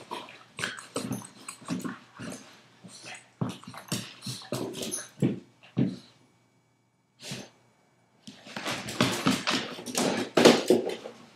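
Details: 5-month-old Boston terrier and 2-year-old golden retriever wrestling in play inside a small room; quick choppy growls and grunts, a brief lull, then a louder flurry of snarling and scuffling.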